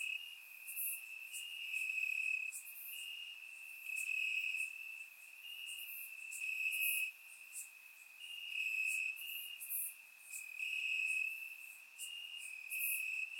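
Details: Crickets chirping in grass on a warm summer night in Bulgaria, recorded with a surround microphone: a steady high trill holds one pitch throughout, with brighter, sharper pulses from other crickets rising and falling every second or two.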